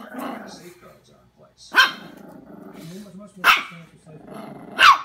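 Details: Jack Russell terrier puppy Knuckles takes on a giant gummy bear, letting out three sharp, widely spaced barks with low rumbling growls in between.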